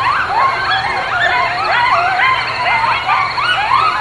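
Coyotes chorus together with wavering, overlapping howls and quick rising-and-falling yips.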